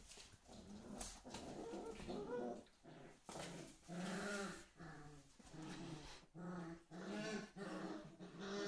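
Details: Whippets Ava and Ramses at play, trading low, harmonic growls in repeated bursts of roughly half a second, some rising into higher whining tones, with short gaps between each rumble.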